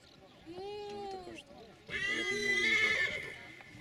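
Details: Silesian stallion neighing: a clear harmonic cry sliding slightly downward, then after a brief pause a louder, harsher whinny rich in overtones lasting over a second, with faint human voices in the background.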